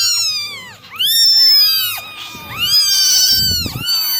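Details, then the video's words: Several of nine kittens mew while being dried in the morning; long, high, rising-then-falling cries follow one another closely, with faint low rustling beneath. "9 Kittens Meowing Original Sounds"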